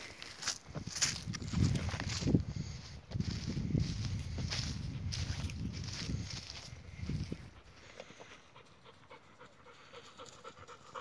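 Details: Kangal dog out on a walk with companions, panting in quick, breathy, low rhythmic bursts for about seven seconds before fading to quieter background.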